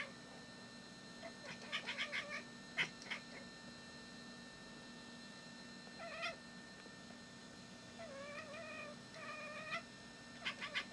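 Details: Pet cat that befriended the household dog and picked up 'barking', watching over the yard and trying to scare a bird away; short, clipped chirps in small bursts, then wavering trilled calls near the end, over a steady low hum.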